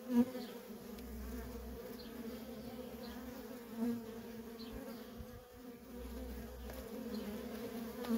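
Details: Constant hum of honey bee workers coming and going at a wild feral colony, a steady buzzy drone with brief louder passes as single bees fly close to the recorder.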